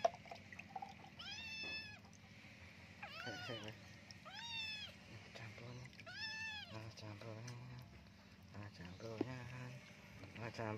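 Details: Kitten full of fleas being bathed indoors, giving a series of loud, arched, harmonic meows every one to two seconds, some drawn out and wavering, while people talk throughout in Indonesian and Javanese.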